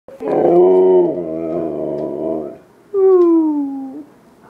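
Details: Siberian husky named Freedom, talking indoors: a long, loud, harmonic moaning howl held steady for about two seconds, then a second shorter howl sliding gently downward.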